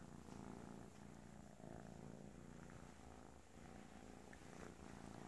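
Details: Kitten purring, described as purring like a freight train: a low, continuous rumbling purr in steady pulsing waves throughout, quiet and close.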